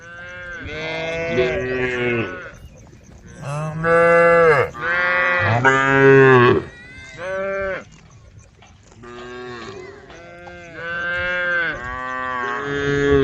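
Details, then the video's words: Herd of cows on a road calling to each other: many overlapping moos of varied pitch, some short and some drawn out, coming in quick succession with brief gaps between them. "herd of cows on the road the sound of cows calling the herd"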